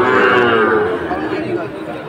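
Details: Sahiwal bull at a Faridpur cattle market on 1 June 2024, where a farmer is buying the best bull of the market: a long, drawn-out harmonic moo that slowly fades, with a crowd murmuring behind.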